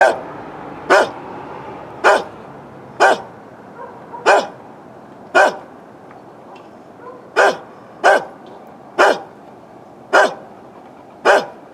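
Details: An old neighbour's dog barks steadily, filmed with a Canon Vixia HF R800 camcorder; eleven sharp, broadband barks come roughly once a second with short irregular gaps, over a quiet steady background hum.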